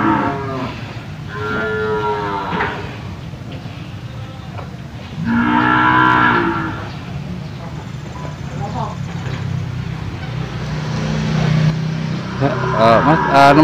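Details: Cattle for sale at the Jonggol animal market: two drawn-out, low, harmonic moos, the second louder and longer, over steady crowd murmur, voices and a constant background hum.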